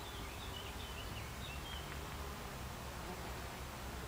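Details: Buckfast honey bees inside an alternative beehive, recorded July 29, 2013; a steady low droning hum fills the recording, with faint high whistled bird notes drifting over it.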